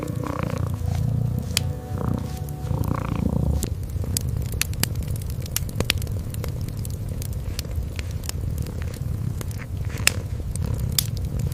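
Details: Kitten curled up asleep by a fireplace: a deep, low purr, stronger in the first few seconds, runs under frequent dry snaps and crackles of burning wood.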